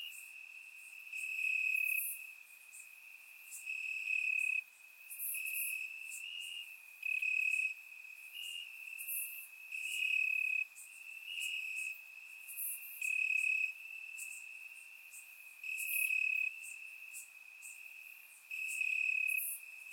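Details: Warm summer night in Bulgaria with crickets in the grass: an even, shrill trill runs throughout while louder chirping bursts return every two to three seconds, overlapping callers creating a dense chorus.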